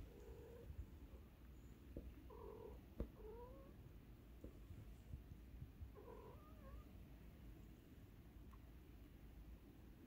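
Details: Hungry street cats meowing, with several short, rising, harmonic mews near three seconds and again around six seconds over a low, steady background hum.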